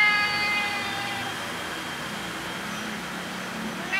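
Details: Tabby cat asking for food, a single meow fading away early on, followed by low background noise for the rest.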